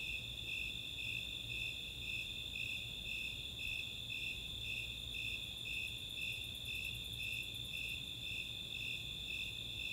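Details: Steady summer night chorus of Snowy Tree Crickets and Four-spotted Tree Crickets recorded in open space at Chautauqua, Boulder, Colorado: pulsing chirps near twice a second, a sustained trill, and a run of quick katydid ticks late in the clip.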